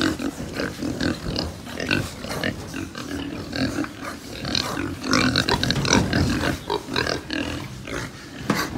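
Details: Group of pigs at a farm in Japan keep up quick, choppy grunts and snuffles, roughly four per second, mixed with rustling and knocks in the pen.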